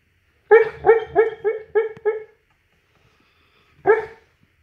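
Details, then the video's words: Mastiff barking in a dream: six rapid, evenly falling woofs in under two seconds, a pause of silence, then a single final bark. "MY mastiff day dreaming"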